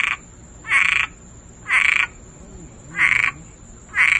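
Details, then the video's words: Frog resting in a backyard before Hurricane Dorian, singing: five loud, harsh, buzzy croaks, each about half a second long, repeated roughly once a second, with a steady high thin whine running underneath. "Frog chilling in my backyard before hurricane Dorian and singing"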